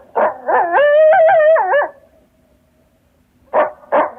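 A coyote gives sharp barks that run into a wavering, quavering howl, then barks again.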